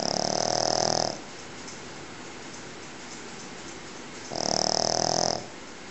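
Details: Asleep Pekingese snoring loudly indoors, two harsh buzzing snores about a second long each, separated by roughly three seconds of quiet breathing.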